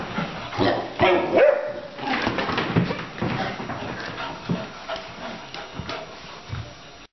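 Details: Playful Labrador puppy Fizzy and elderly Coton de Tuléar Tschappi: muffled, uneven yips and barks with scuffling sounds, fading toward the end.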